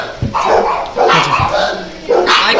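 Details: Dogs barking indoors: a few short, sharp barks spaced about a second apart, with people talking in between.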